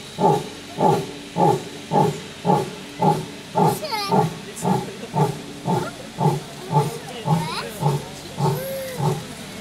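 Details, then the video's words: Lioness voicing a steady series of deep, breathy grunts, almost two per second, over nearly ten seconds; brief higher squeaky or voice-like sounds cut in midway and near the end. "Lioness says...."NO!""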